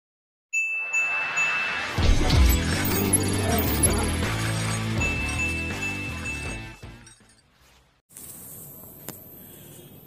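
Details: Music plays with a bright sustained tone and a burst of shattering glass, then fades to a brief quiet hiss with no animal sound.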